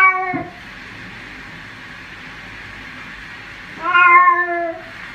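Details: Cat meowing while being bathed indoors: a short strained cry at the start, then after a pause a longer, wavering, plaintive meow that falls in pitch, with faint room noise.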